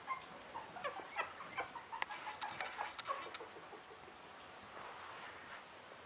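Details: Russian Toy puppies three weeks old give a cluster of short, thin squeals and whines during the first few seconds before fading to a soft background hiss.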